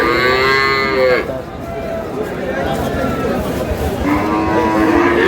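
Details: Cows with calves for sale at Aftabganj haat, Dinajpur, 19 May 2026; a loud moo at the start and a second rising moo near the end, a quieter lowing between, over steady market hubbub.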